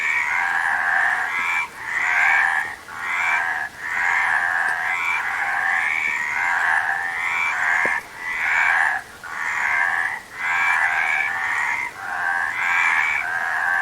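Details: Many frogs call at once, their rasping croaks pulsing in rhythmic waves roughly every second, with brief quiet gaps between the surges.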